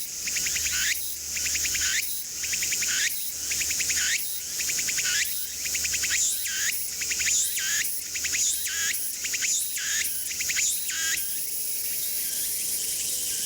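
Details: Japanese Tsukutsukuboushi cicada (Meimuna opalifera) in Mitake forest: a long run of pulsed phrases, each row of quick ticks closing with an upswept note, roughly one per second, then ending in a continuous high-pitched insect drone.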